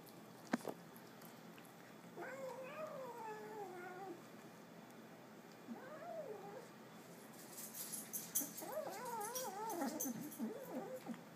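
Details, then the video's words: Young pet cat growling as it eats, giving eerie, wobbling tonal moans in three bursts separated by quiet gaps, the last burst mixed with rustling and clattering noises. "Growling Kitten"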